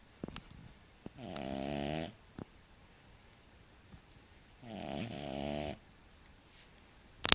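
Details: Deep sleep snoring from Kora, a roughly six-month-old French Bulldog: two loud, even, rasping snores about three seconds apart, each lasting under a second, with faint clicks between and a sharp rustle at the end.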